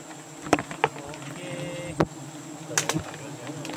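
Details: Colony hum from a giant honey bee (Apis dorsata) nest in the Borneo rainy season: continuous low buzzing drone broken by sharp taps and knocks, plus a brief thin tone and a nearby person.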